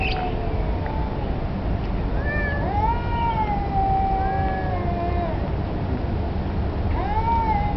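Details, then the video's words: Long wavering caterwauls from street cats that seem to be challenging each other for territory or mating, one sustained moaning wail followed by a shorter rising cry, with low background hum. "Street Cats"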